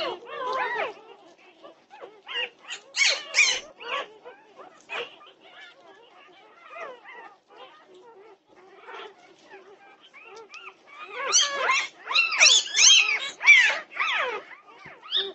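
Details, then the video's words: Norwegian Buhund puppies at 2:30 am on June 8, 2021, a chorus of overlapping high whines and squeals in irregular bursts, loud at the start and again near the end with a quieter stretch between. "Puppy Pandemonium at 2:30am! Norwegian Buhund Puppies"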